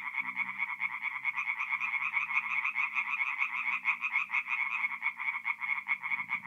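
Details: Tree frogs in full song by night at a forest pond, North-East Italy, mid-April; rapid rattling croaks repeat several times a second in a throbbing rhythm, over a soft low hum in the background.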